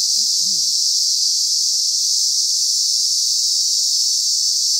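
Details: Madagascar's Lokobe Reserve on Nosy Be, where thousands of cicadas produce an unbroken piercing high drone. Faint low wavering sounds surface briefly at the start beneath the insects.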